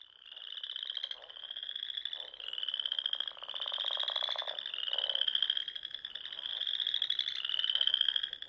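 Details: Frogs singing at dusk in spring among the Sandhills dunes of Nebraska, near small lakes and ponds; dense chorus of high, pulsed trills that rise slightly in pitch, each lasting one to two seconds and overlapping back to back.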